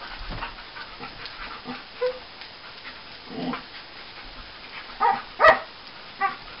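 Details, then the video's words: Paddi, a male pet English Springer Spaniel, making odd noises while wrestling: scattered short whines, grunts and snorts, then sharp high-pitched yelps and squeals clustered near the end, loudest in a brief burst, over a quiet room. "Paddi the Springer Spaniel makes wierd noises"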